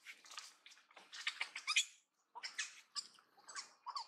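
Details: Young long-tailed macaque from the Angkor Archaeological Area near Siem Reap, Cambodia, crying to her mother and sister for help; high shrill squealing bursts in rapid clusters, a short pause near two seconds, then more broken shrieks.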